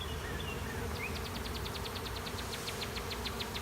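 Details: Swarming honey bees settling into an empty hive beside a driveway, fanning at the entrance. Continuous low buzzing drone underlies a long, evenly spaced high bird trill that runs for most of the stretch.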